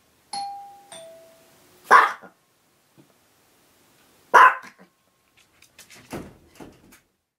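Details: A two-note doorbell chime rings and a Chihuahua called Kasumi answers with two loud, sharp barks about two seconds apart, trailing into softer muffled noises. She has lately copied this chime barking from another dog, Koko.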